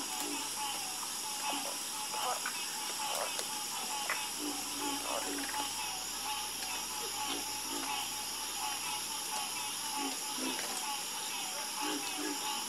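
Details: Night chorus of many frogs, their brief clicking croaks popping up irregularly every second or so, some deep and some higher, over a constant shrill background drone of layered trills.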